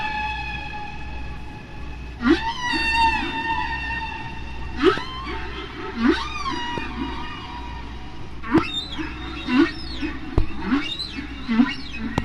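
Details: A single humpback whale's song from near Bermuda in spring, hydrophone recording at natural speed and pitch: sustained high squeaky tones, then repeated swooping upward-and-downward whoops about every two seconds, mixed with low rumbly grunts, over a constant low hum.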